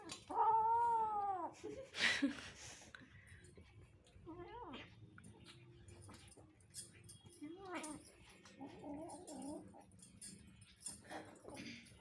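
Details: Pet cats asking for food: a long wavering meow opens, followed by shorter bent meows and a drawn-out warbling call near the end, with light rustling and knocks in the background.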